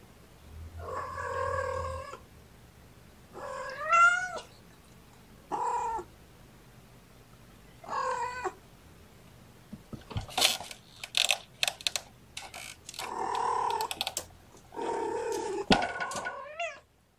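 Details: Mother cat Gamora calling to her five napping kittens through the kennel side, born April 14th: a series of drawn-out, harmonic meows with rising and falling pitch, several short ones early, then a louder, busier run of calls and rustling.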